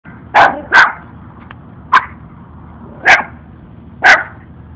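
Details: Two lost-looking puppies bark at a passer-by they follow, one barking especially much; five sharp, high barks in under five seconds, spaced irregularly, over a low steady background hum.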